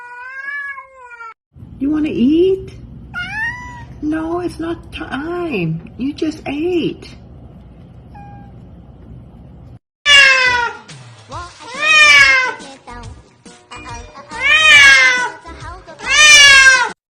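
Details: Pet cats meowing as if talking: a series of drawn-out, bending meows, some rising then falling. Later meows are louder and more nasal, with a woman speaking and soft music between calls.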